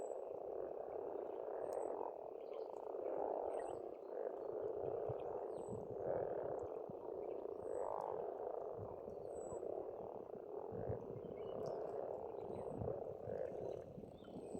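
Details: Many frogs croak in a spring pond chorus in Estonia, an unbroken rasping drone with periodic louder surges, accompanied by scattered high-pitched bird notes and faint low rumbling.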